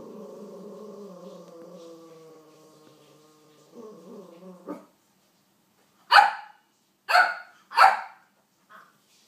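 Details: Dottie, a King Charles Spaniel, barking at Olly Murs: after several seconds of tonal music-like sound, three sharp, loud barks come in quick succession about a second apart, then a faint fourth bark.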